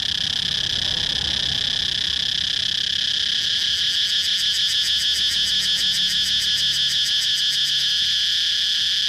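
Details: A steady high-pitched cicada drone breaks partway through into a fast, regular throbbing pulse that carries on to the end.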